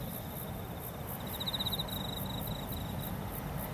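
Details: Crickets chirp from a rice paddy with red spider lilies and foxtail grass in Kamata, Fukuoka, Japan, in spider-lily season: a thin, high, pulsing trill in short repeated bursts over a steady low rumble of wind or distant traffic.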